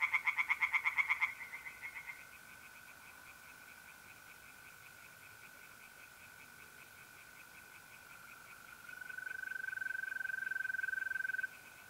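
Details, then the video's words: Night chorus of tree frogs at a pond in north-east Italy in mid-April: a brief, loud stretch of rapid pulsed croaking opens, fading into the long, level trill of mole crickets, which swells again near the end. "relaxing singing tree frogs in pond and trilling mole crickets by night"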